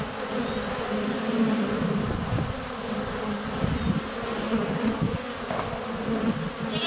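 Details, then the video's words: Honey bees constantly flying past a GoPro placed under a foot from their hive entrance in February sunshine; thick, even buzzing drone with faint high bird notes and a few soft clicks. "4K Honey Bees - ambient video and audio"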